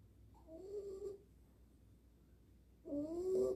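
A dog snores in two drawn-out breaths about two seconds apart. Each has a low, reedy hum with a thin whistling overtone and a breathy hiss, separated by a quiet pause.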